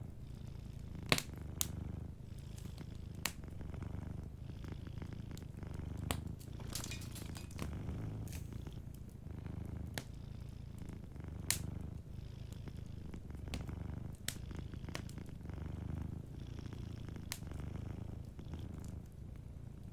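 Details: Sleeping cat purring softly beside a warm fireplace: a steady low rumble in slow pulsing waves, with sharp crackles and pops from the fire scattered throughout.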